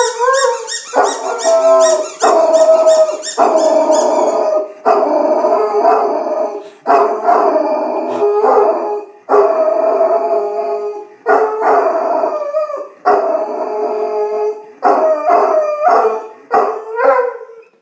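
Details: Irish Wolfhound howling at a squeaky toy indoors: rapid toy squeaks open, then the dog gives a run of long, wavering, mid-pitched howls, about eight drawn-out phrases separated by short breaths, with a few squeaks cutting in.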